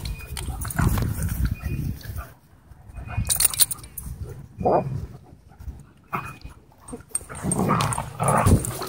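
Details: Dogs (a German Shorthaired Pointer, huskies and a wolf dog) racing and wrestling through a dog park; rough bursts of growling and whimpering come in waves, with short pauses between and people talking.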